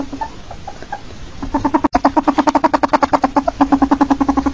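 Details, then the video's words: Domesticated ferret calling: a soft, uneven start gives way to a fast, steady run of low clucking pulses, about five or six each second, with one brief gap near the start of the run. "Ferret Calling Sound"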